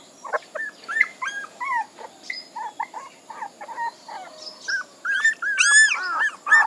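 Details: Puppies whining in a string of short, high, bending whimpers, some rising and some falling, with brief gaps between cries. Louder, overlapping squeals near the end suggest several pups at once.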